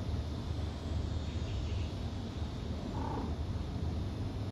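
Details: Calico mother cat breastfeeding her kittens purrs in a continuous deep rumble, even and unbroken, with one faint short higher sound about three seconds in.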